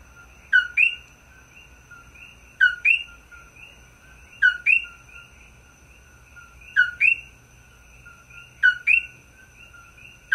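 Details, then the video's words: A coqui frog on Maui gives its loud two-note "co-KEE" call, repeated about every two seconds, in front of a room on 17 May 2024. "Coqui Frog /Maui"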